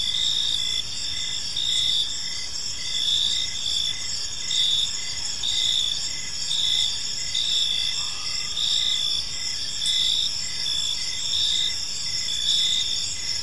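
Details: Crickets chirping in a peaceful park as evening unfolds: a dense, shrill chorus of overlapping pulsed chirps with several steady high layers stacked together, running without pause, over a soft low background rumble.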